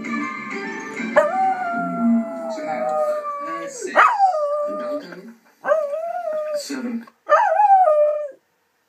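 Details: Pet dog howling in long, wavering tones: an opening drawn-out howl that slides downward, then several shorter howls with rising starts and falling ends, separated by brief silences. Faint voices and music sit underneath at the start.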